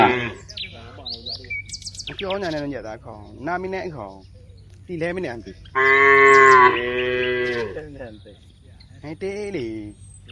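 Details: Several cows among dozens active in a wide rice field give a series of short, wavering moos, then one louder sustained bellow near the middle, with bird chirps scattered across the recording.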